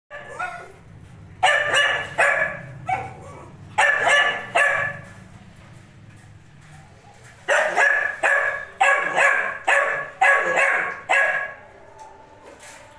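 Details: Male bully kutta puppy in Hyderabad barking in loud, harsh bursts, often in quick pairs or runs of three to five, separated by short pauses, with a low hum underneath.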